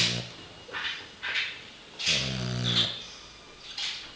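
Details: French bulldog snoring: rough, wheezy breaths with raspy hiss, several snorting pulses about every second, one longer buzzy rattling snore in the middle.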